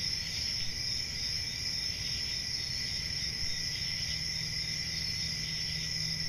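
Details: Forest crickets on a summer night give an even, unbroken high trilling drone in two bands, while a faint low steady hum enters partway through.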